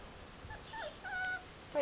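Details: Five-week-old Chow Chow puppies playing a game with their father and mother; thin, high, wavering whines come in short bursts, ending with a louder sharp yelp as a person talks nearby.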